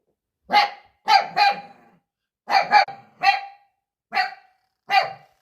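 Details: A puppy barks a lot at his own reflection; bright, high yaps come singly or in quick pairs, about seven bursts over a few seconds, nothing else audible.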